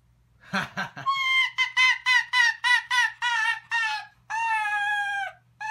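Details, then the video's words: Responding to human laughter, the pet Arctic fox Archer, four years old, lets out a fast run of about a dozen clear, tonal yelps after a brief laugh, ending in longer drawn-out notes; sleepy behaviour typical for him. "Archer the Arctic Fox Has Contagious Giggle"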